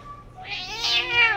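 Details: A male Persian cat, talking with his owner, gives a single drawn-out meow that rises, then slides down at the end.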